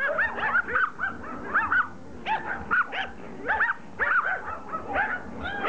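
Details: Pomeranians attacking a rugby ball: a group yapping in short high arched barks, several dogs overlapping, bursts coming every half second or so with brief pauses between.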